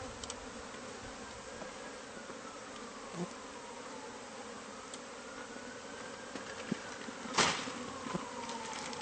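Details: Bees from a hive hidden inside the walls of a newly bought house, being removed by pest control. The swarm makes a steady, dense low hum, with faint sliding tones drifting above it and a sharp knock near the end.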